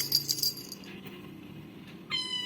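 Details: Domestic cat answering its owner's calling, giving one short high meow near the end, after a stretch of faint rustling and low background sound.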